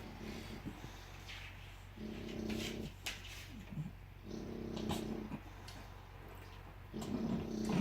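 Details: Sleeping bulldog snoring, with rasping, buzzy low breaths about a second long that return every two to three seconds, plus faint snuffling and soft grunts between them.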